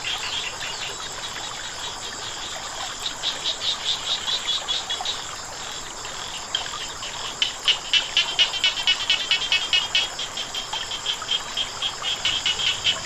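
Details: Croaking frogs by flowing water, giving fast bursts of crisp, rattling pulses in two bouts, the second louder and longer, repeated several times a second over a steady rush of water.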